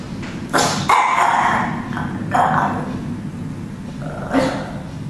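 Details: A small black Chihuahua dog barking at the camera: a few sharp, high yappy barks spaced irregularly, with quieter breathy sounds between them.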